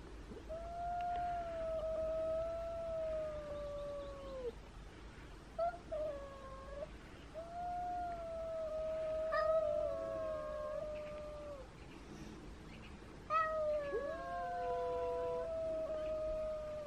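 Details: Domestic cats at the meeting of small, timid Elma, two years old and 3.5 kilograms, with Kutvonen, the biggest cat in town; long sustained moaning yowls lasting several seconds each, with overlapping voices in places and short pauses between.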